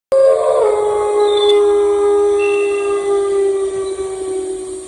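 A wolf howls a long, steady note that slides down slightly at the start, then holds level.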